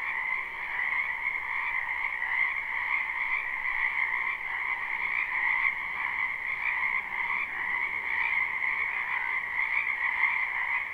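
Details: A spring wetland full of frogs, recorded live with no looping, gives a thick continuous croaking chorus: countless overlapping trills merge into a steady shimmering drone with gentle swells in loudness and no gaps.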